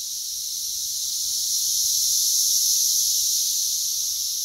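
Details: Massed Brood X periodical cicada chorus, West Virginia emergence of June 2021, around 85 dB by phone app: an unbroken shrill wall of sound that gradually grows louder across the clip.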